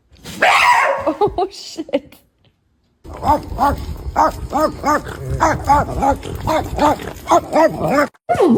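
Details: Pet dog making strange noises: a loud opening yowl, a short pause, then a long series of quick, arched, moaning yelps that rise and fall, repeated several times a second, like chattering or talking.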